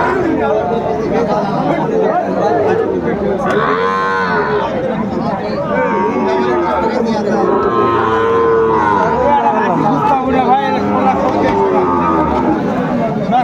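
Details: Lowing from Sahiwal bull calves about six months old at a cattle market in Cumilla, Bangladesh, 13 August 2024: several drawn-out, harmonic moos rising and falling, overlapping with steady crowd chatter and a man talking.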